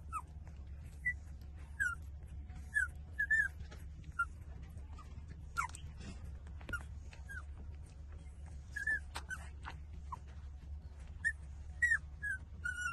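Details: Eighteen-day-old street-dog puppies nursing from their mother give repeated short, high whimpering squeaks, each bending downward, scattered through the recording with brief gaps and clicks over a low background hum.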